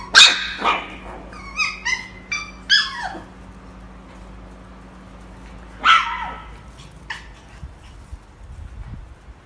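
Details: Pomsky puppies, a husky and Pomeranian mix, give a quick burst of sharp, high yapping barks, then pause, bark once more and add a single soft yip near the end.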